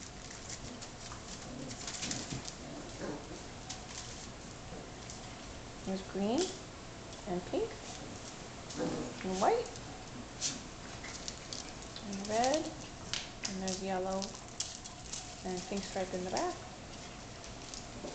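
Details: A litter of almost six-week-old puppies, offspring of Biscotti and Leo, playing together normally indoors. From about six seconds, a string of rising, nasal yips and whines comes several times. Shuffling on papers and human speech continue underneath.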